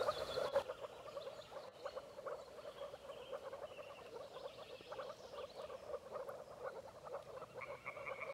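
A chorus of moor frogs gives soft, bubbling mating calls, like air gurgling out of a submerged bottle.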